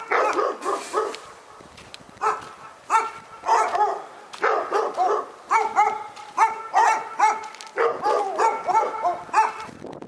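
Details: Barking dog in Pyrga: a few barks, a short lull, then a steady rhythmic series of bright, tonal barks roughly every half second.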